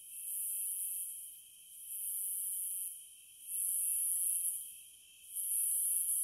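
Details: Cicadas buzzing in long, uneven high-pitched surges that drop briefly between bursts, with a continuous lower-pitched whine running underneath.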